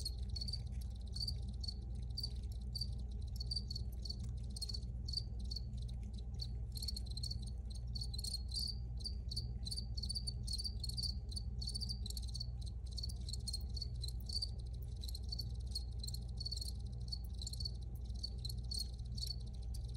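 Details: Original recording of crickets chirping: dense, high, rapid pulses merging into a steady trill that swells slightly in the middle, set against a faint low rumble.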